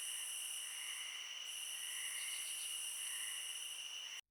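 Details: Night crickets in a continuous chorus of steady, high, shimmering trills in several layered bands, unbroken for about four seconds before cutting off abruptly.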